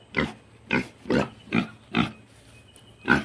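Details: Penned five-month-old domestic piglet making a racket at a visitor: six loud, rough grunt-squeals repeated roughly every half second, fairly evenly spaced, over a quiet background.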